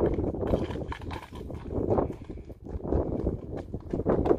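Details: Standardbred gelding under a rider, its hoofbeats landing as dull, muffled thuds at an even walking rhythm roughly once a second, over low rumbling outdoor noise.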